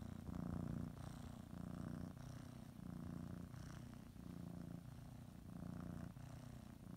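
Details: Domestic cat purring while preparing for a morning nap, kneading and biting a blanket; steady low rumbling purr in alternating inhale and exhale phases, each lasting about a second, with no other clear sounds.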